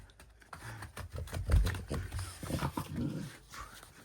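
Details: French Bulldogs Sierra and Diego tugging at new seasonal Halloween 2025 dog toys on October 22: deep, rumbling growl-like bursts come in uneven pulses for about three seconds, low and throaty, with rustling from the toy play.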